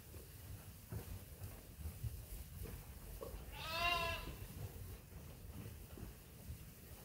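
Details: Sheep at Ewetopia Farms waiting for their feed during daily chores; a single wavering, harmonic bleat rises out of a low rumble of farm background noise midway through.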